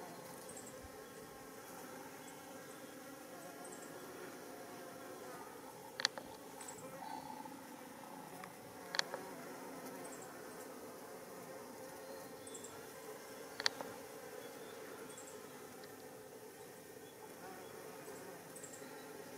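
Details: Japanese honeybee workers (Apis cerana japonica) foraging for nectar and pollen on white Schizophragma hydrangeoides flowers by a mountain road in Japan, early July 2016. Faint continuous buzzing hum, broken by three sharp clicks spaced a few seconds apart.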